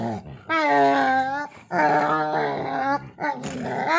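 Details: Pet husky pestering a pitbull in play indoors, with long whining, harmonic moaning vocalisations in three drawn-out bursts of about a second each, small-room echo.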